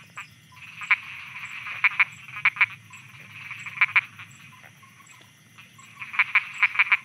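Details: Thai frogs at night give sparse, crisp croaks, often doubled, then a quick cluster of five near the end, over a soft continuous high-pitched hum.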